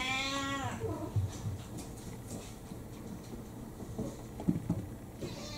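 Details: Several mixed-breed house cats demanding food right after their owner wakes in the morning; one long harmonic meow at the start, then quieter shuffling and small knocks indoors, another meow beginning at the end.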